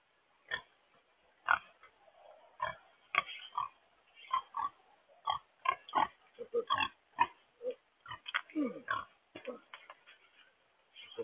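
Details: Blue Hampshire pigs grunt and oink steadily and busily for eleven seconds, short rough bursts following one another closely, some higher squealing notes mixed in, as the blue-gray domestic pigs are offered grapes.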